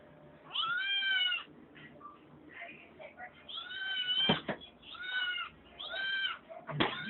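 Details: Kitten whining indoors for something from the refrigerator, drawn-out rising-then-falling meows repeated every second or so, mixed with a person talking and clattering household knocks.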